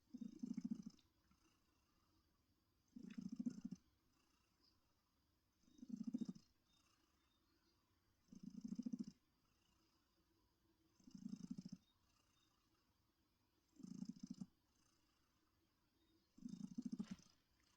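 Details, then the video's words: Heartie, a cuddly female pet cat, purrs rhythmically in her comfy chair: seven even, low rumbling pulses spaced close to two and a half seconds apart, breath-like in pattern, against near silence. "Heartie's Purring Therapy"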